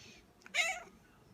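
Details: A hungry cat makes one brief, bright meow-like chirp lasting about a third of a second, rich in overtones, rising then falling. A faint soft click precedes it in a quiet indoor room.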